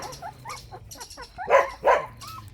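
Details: Lively Jindo puppies of Baekhyang's line playing: soft short yips and whines lead into two loud, harsh puppy barks about a third of a second apart, followed by a quieter whine.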